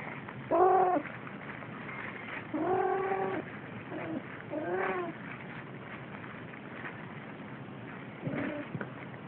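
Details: Siamese kitten meowing while playing, giving about five short harmonic meows spaced unevenly over nine seconds, some flat and some bending down at the end, over a steady low background hiss.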